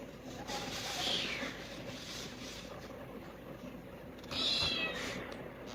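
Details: Several kittens crying for food after seeing it, giving high, thin meows around one second and again near four and a half seconds, over a steady background hiss.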